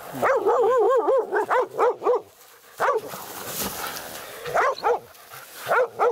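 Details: Laika at a badger during a night hunt, the dog's first badger encounter; a fast run of ringing, high-pitched barks, then a pause filled with hiss and rustling, then scattered single barks.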